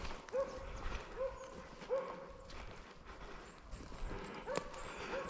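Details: Baying of Arrow, a Slovakian hound holding wild boar at bay on a November 2022 driven hunt in Sweden; short ringing barks spaced under a second apart, distant and tonal, with brushy background noise.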